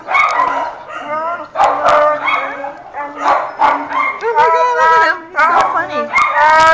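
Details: Handsome husky/malamute mix at Baldwin Park shelter 'talking' in a human-like way while sitting on a visitor: undulating, wavering woo-woo vocalizations in rapid bursts, rising and falling, with people talking and laughing.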